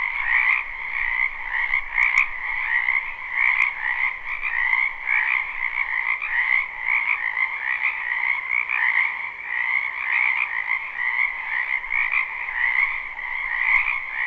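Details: Springtime wetland frogs in a live, unlooped recording near a home: many voices merge into a constant pulsing drone, higher trills riding over a lower croaking band, swelling slightly in waves with a few soft ticks.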